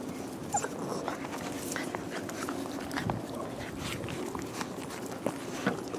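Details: Rescue puppies from the O and P litters of 2017, giving brief, faint whimpers and small squeaks against a steady wash of broadband background noise with occasional clicks and knocks.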